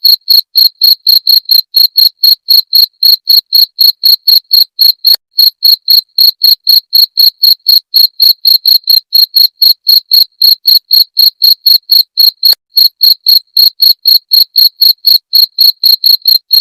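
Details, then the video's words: Rat-repelling jangkrik genggong sound: an extended, machine-steady series of shrill cricket chirps, about four bursts each second, high and piercing, over an otherwise silent background with a couple of faint clicks. "Suara Jangkrik pengusir tikus"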